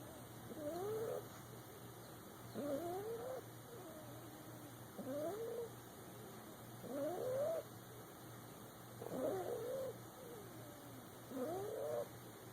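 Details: Boxer puppy asleep in a person's lap, snoring: squeaky, whistled nasal bursts that rise and dip in pitch, recurring about every two seconds with six breaths heard, against a quiet room with a faint steady hum.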